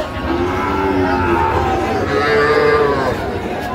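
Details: Sahiwal bull among cattle a farmer is buying in Tangail, Bangladesh, on 9/5/25; low drawn-out harmonic lowing rises and falls over a busy background of crowd chatter and men talking.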